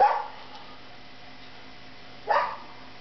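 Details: Siberian Husky in bed, giving two short, sharp barks, one at the very start and another after just over two seconds, with a quiet steady hum between them.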